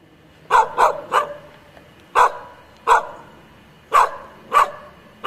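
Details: Icelandic Sheepdog, female, barking at home: sharp loud barks, three in quick succession then single barks spaced about a second apart, eight in all over a quiet background.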